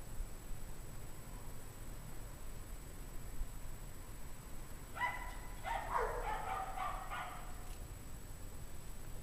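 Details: Pack of distressed dogs outdoors on a cold January 2009 evening, 17 degrees Fahrenheit. A dense, overlapping flurry of barks between five and seven seconds, otherwise steady low background noise.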